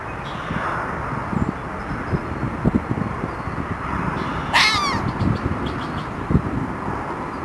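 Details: Red fox (Vulpes vulpes), bark.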